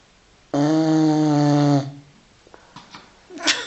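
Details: Filby, a five-month-old Continental Bulldog, asleep and snoring: one loud, steady, droning tone lasting over a second, rich in overtones. Faint soft clicks and a short rustle follow.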